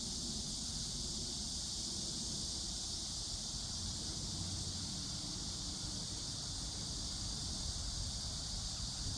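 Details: Constant high cicada drone carries through steadily, underlaid by noticeable low rumbling and wind-like noise.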